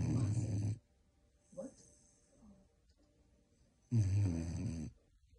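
A Vizsla gives two long, rumbling snorts, deep and rough, with a soft nasal snuffle between them.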